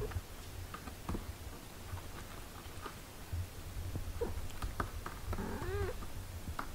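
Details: Domestic cat caring for six-day-old kittens: a single arched mew late on, rising and falling, after quiet rustles and clicks over a low steady hum.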